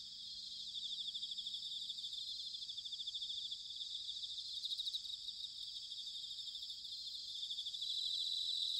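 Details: Bell crickets singing on an autumn night, recorded in Sanuki, Chiba, Japan with a field recorder: a dense, continuous high ringing chorus of rapid trills layered in several bands, steady throughout with no other clear sounds.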